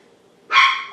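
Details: Seven-week-old Poodle puppy, one of two littermates named Honey and Emma, gives a single sharp, high yapping bark that bursts out abruptly and trails off quickly against a quiet background.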